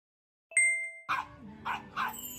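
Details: A cute puppy barking at a stuffed toy: three quick, soft yaps in a loose series, after a bright ringing chime at the start.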